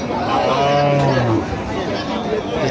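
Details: A milch cow at the Ambari haat cattle market, 21 October 2025, moos low and steady for over a second, the tone sagging slightly at the end, with a busy crowd murmuring behind.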